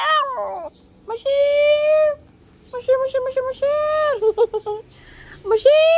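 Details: Female puppy "talking": a run of drawn-out, tonal whines and yodel-like moans, each about a second long, some rising then holding steady, broken by short yips and quick clipped notes, in a small indoor space.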